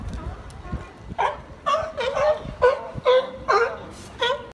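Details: Sea lion giving loud, hoarse, strongly harmonic barks about every half second in a steady series, with human voices faintly underneath.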